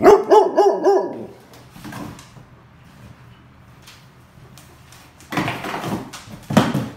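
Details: Belgian Malinois dog that has found a tennis ball gives a quick run of three or four yelping barks, then quiet rustling, with louder bursts of noise near the end.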